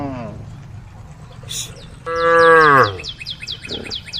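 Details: A cow from a herd on the road calls the herd with one loud moo that starts strong and sinks in pitch as it fades, after a short low grunt, with quick repeated high chirps running behind.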